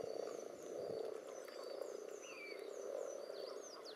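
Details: Spawning common toads jostle in a pond alongside various frogs, giving a steady, throbbing mass of low croaking calls; thin chirps and a rising whistle from birds sound high above the chorus.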